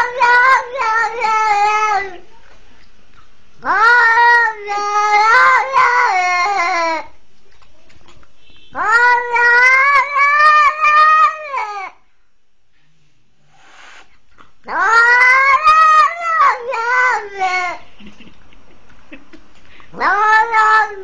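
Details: Cat that as a twenty-day-old kitten was grabbed by a leashed pitbull and saved, calling for help with five loud bouts of wavering, stretched harmonic meows, each lasting two to three seconds, with quiet gaps between.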